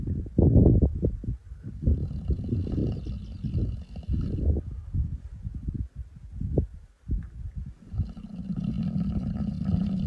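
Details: Sleeping male lion named Topi in the Masai Mara, 14 November 2025, snoring with deep throaty rattling breaths, a short quiet gap near seven seconds, and faint background hiss.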